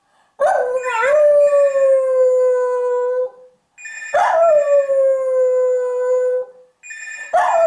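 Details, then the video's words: Rescue dog in West Cork, Ireland, howling to signal a ringing telephone; three long sustained howls, each starting with a sharp yelping onset then settling into a steady slightly falling tone, with ringing audible at each start. "Bridie the very useful telephone alert dog"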